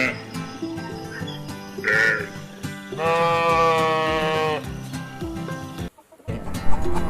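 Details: Domestic sheep, a docile animal kept for wool, milk and meat, giving one long, quavering bleat lasting over a second amid continuous background music.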